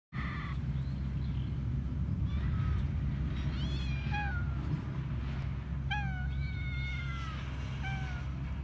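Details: Hungry stray tortoiseshell kitten crying to its carer on the street: several high, falling meows, some short, a few longer and drawn out, over steady low traffic-like hum.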